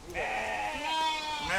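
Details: Sheep on a farm whose herd of 13 sheep and 5 goats grew to 200 in three years, recorded in 2021: a single wavering, nasal bleat under two seconds long with bright stacked harmonics, swelling slightly toward the end.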